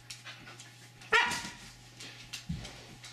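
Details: Siberian Husky 'talking': one short wavering vocal yelp just after the first second, rising then falling, followed by soft breathy noises, over a steady low electrical hum and room noise.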